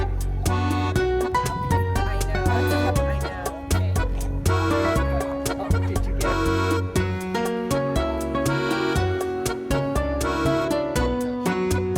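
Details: Lively accordion-led dance music with a steady beat plays throughout, and no animal voices can be picked out.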